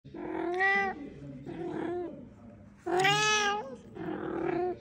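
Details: Talkative male pet cat meowing: four drawn-out, harmonic meows, the third loudest and brightest, with varying pitch and soft gaps between calls.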